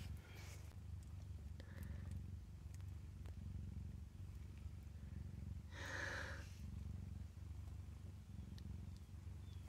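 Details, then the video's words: Kittens nursing at their mother purr in a continuous low rumble, with a soft human voice near the middle and a few faint clicks. "Is this cabinet purring?"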